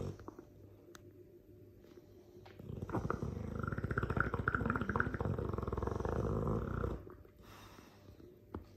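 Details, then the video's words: Loud snore of a sleeping Dogue de Bordeaux: a single long, rattling, rapidly pulsed inhalation lasting about four seconds, framed by quiet breathing and a faint click. "Dogue de Bordeaux - This video is for all that don’t know mastiffs snore loudly ."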